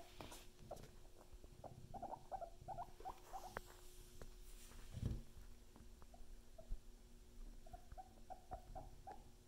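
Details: Pet guinea pigs making clusters of short squeaky chirps in brief bursts, separated by pauses, over a low steady hum with occasional thumps and shuffling.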